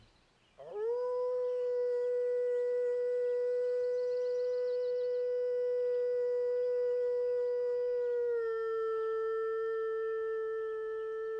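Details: A single gray wolf in Algonquin Park howls a long, smooth, sustained note that rises quickly, holds level for several seconds, then eases down slightly near the end, with no other sounds intruding.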